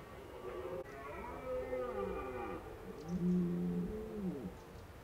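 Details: Red deer in autumn, recorded at Krasny Bor on 1 October 2015 in Indian-summer weather, gives two long, deep, moaning calls with rich layered harmonics, the pitch arching up and falling in each, against a low background rumble.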